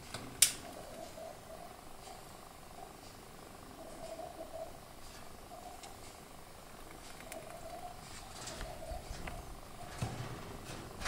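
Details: Pet female degu named Emča in a homemade cage, giving a soft warbling chatter in wavering mid-pitched bursts, repeated every second or two, with a sharp click near the start and light rustling.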